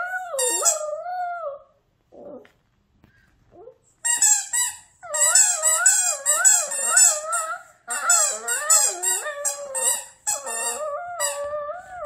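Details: Pet Maltichon Gang-i howls along as if singing, using a squeaky toy as accompaniment; quavering, bending howls in repeated phrases with a short quiet gap early on.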